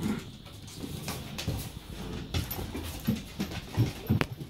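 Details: Rescued Hungarian Vizsla Cinega, a female, play fighting indoors with the much smaller dog Freya during a play date: heavy rhythmic panting with short low grumbles and huffs, plus scuffling and a few sharp knocks.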